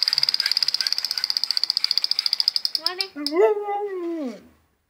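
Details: Husky named Molly, a pet dog, gives a drawn-out whining howl that rises, holds, and then drops away near the end. Before it comes about three seconds of rapid, high-pitched ticking pulses.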